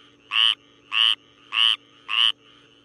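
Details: Night recording of a Syhadra frog, Minervarya syhadrensis: four short rasping croaks spaced about half a second apart, evenly loud and high-pitched, with a soft steady drone underneath.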